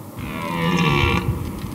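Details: A red deer stag in the Valais mountains of Switzerland gives a deep, drawn-out rutting roar with a rough, moaning tone, belling to attract females during the September–October rut.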